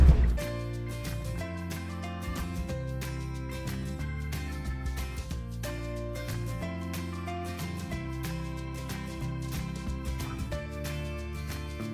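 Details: Continuous background music with steady bass notes and beats, with no animal calls audible.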